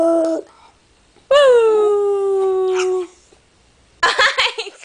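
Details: Paola the dog lets out a single drawn-out howl that starts with a brief rise and then holds a falling, even tone for nearly two seconds. Short voice-like sounds come before and after it.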